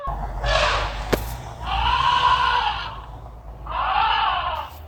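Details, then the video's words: Elephant giving three rough, blaring calls, each about a second long, with a hoarse, noisy tone over a low background rumble and one sharp click between the first two calls. "CRI DE L'ELEPHANT"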